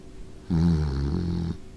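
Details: A pet Beagle in Hokkaido, Japan, born June 2020, snores while asleep against the back of an older female Shiba Inu; one low, droning, voiced snore lasting about a second in a quiet room.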